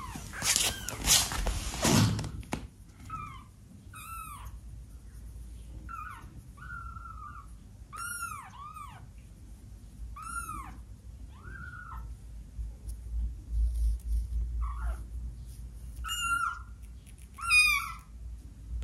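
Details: A 12-day-old kitten giving its first meows indoors: thin, high, arched mews with bright harmonics, about a dozen short cries spaced irregularly, after a loud thumping handling noise at the start.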